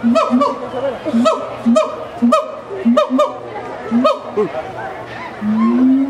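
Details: Siamang gibbons calling in their zoo enclosure at Miami Metrozoo, giving a steady series of low hooting notes, each with a sharp bark, about two a second, ending in a long rising whoop, while visitors chatter and laugh.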